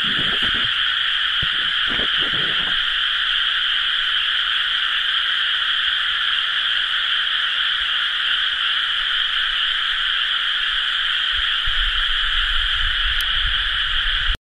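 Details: A dense chorus of frogs in rice paddies during rice-planting season, recorded 30 May 2011: many rapid croaks merging into a steady, ringing trill.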